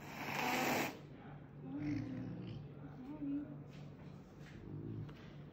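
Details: A Caracal (Caracal caracal) at a vet visit after an accident gives a sharp, breathy angry hiss to intimidate the vet and clinic staff handling it, followed by quiet human voices over a low hum.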